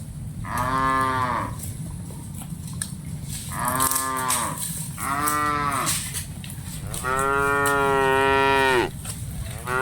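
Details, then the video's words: Dozens of cattle are being driven as a herd. Three short moos are followed by a longer, sustained bellow near the end, all hoarse and harmonic-rich against a constant low rumble. "Aktivitas Mengiring Puluhan Sapi Lembu Lucu Suara Moo - Suara Sapi Moo Yang Lucu"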